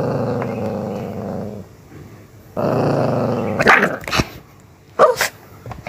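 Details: Miniature Pinscher pet dog behaving aggressively: two long, low rumbling growls, each about one and a half seconds, followed by a few short sharp barks and snaps near the end.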